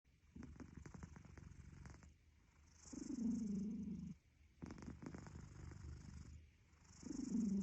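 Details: Cat snoring in slow breathing cycles: low tonal droning bursts alternate with rattling, pulsed stretches, each cycle lasting about three to four seconds, in a quiet room.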